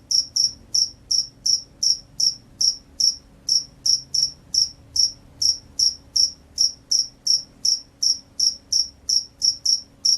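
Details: A vigorous field cricket gives a long series of sharp, high chirps, each a quick pulse, spaced evenly at roughly three per second, with one short gap. Only a faint low hum lies underneath.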